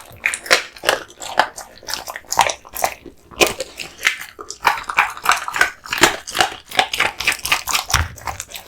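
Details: Kotetsu, a male American Bully born August 2016, eating raw meat and bones indoors; wet crunching bites come in dense irregular bursts, with sharp cracks and smacking spread across a broad band.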